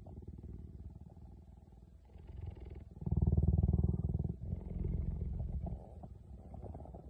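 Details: A cheetah (Acinonyx jubatus) purrs in a deep, rapid, rumbling pulse that swells loudest midway through.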